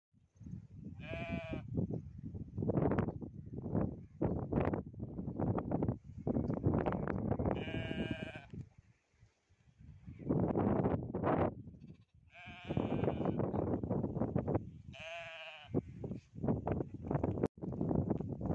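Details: Goats in a village field in India, gathered with sheep on a farm, give four wavering, nasal bleats spread across the stretch. Dense low thumping and rumbling from the flock fills the gaps between calls.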